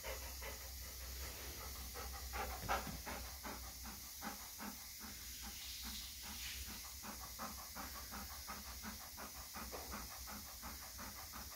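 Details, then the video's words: An eager pet Golden Retriever waits for a test meal from an automatic feeder, panting in quick, even bursts of about three per second for the whole stretch, with a constant low hum and hiss behind. "Excited Golden Retriever Dog Waiting For First Test Meal"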